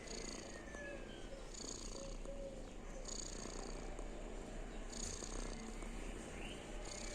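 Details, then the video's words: Domestic cat purring while asleep, described as sounds of happiness: a steady low rumble runs throughout, with soft breathy bursts recurring roughly every one and a half seconds and faint chirpy sounds in the background. "While Lucy is asleep he makes wonderful sounds of Happiness"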